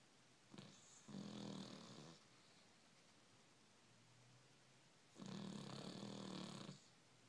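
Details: Sleeping dog snoring inside a quiet room, two long rasping snores roughly four seconds apart, each lasting about a second and a half, with soft breaths in the silent gap.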